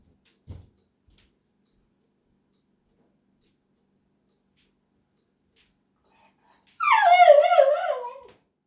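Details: Pet dog left behind while others go to the mailbox, making dramatic fear-of-missing-out sounds indoors: one long wavering whine with a warbling, tremolo pitch that slides gently downward over about a second and a half, after a quiet room and a single soft thump.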